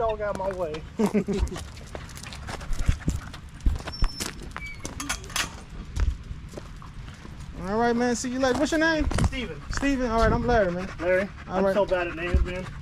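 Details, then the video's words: Male Staffordshire Bull Terrier chatting with other male dogs at the park on a long evening. Wavering, drawn-out woo-woo vocalisations come in bursts, rising and falling in pitch. Human voices and a steady low rumble run underneath. "Long evening at the park male wolf pack chat"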